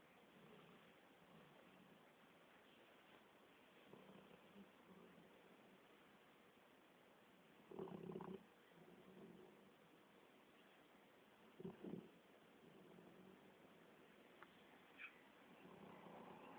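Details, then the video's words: Guga, a sleeping Labrador Retriever, snoring: low broadband breaths with two louder rasping snorts near eight and twelve seconds over a steady room hiss, plus softer rumbles between. "labrador roncando"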